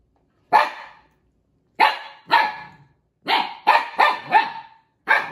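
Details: Indoors, a Siberian Husky puppy protests at Juno over a stolen toy with eight loud, sharp barks, some single and some in quick bursts of three or four, separated by short silences.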